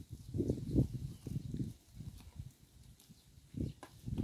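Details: Close recording of a cow eating grass by the road, its mouth making soft, low crunching bursts roughly every half second, then a short lull before chewing resumes.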